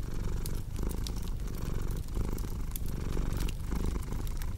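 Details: A cat purrs in a low, throbbing drone that pulses with its breathing, almost a cycle per second, while a crackling fireplace adds frequent bright pops and ticks.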